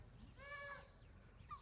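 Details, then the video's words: A rescue-farm goat named Reesie yells in a short, nasal bleat lasting about half a second, its steady tone ending in a slight waver, set against faint background noise and nearby human voices. "Reesie yelling at me"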